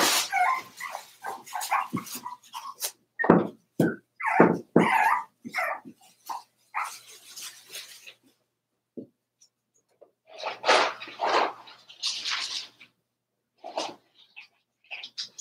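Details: In their indoor pen, four-week-old Cavalier King Charles Spaniel puppies of Daisy's litter yap and whimper in rapid, irregular bursts, a dense run of barks and squeals, then a pause before more scattered yelps.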